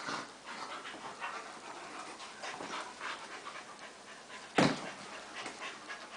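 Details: Golden Retriever Daisy and Flat-Coated Retriever Shelby pausing in play: steady soft panting throughout, interrupted by a single loud snort or thump partway through.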